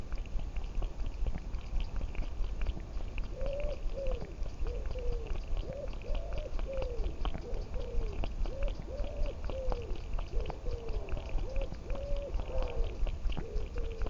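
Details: Muffin, a tom cat strolling outdoors through fields with a camera on his collar, gives a run of short, arched mews, rising then falling, repeated roughly every second, over steady low rumble, rustling and soft footstep clicks.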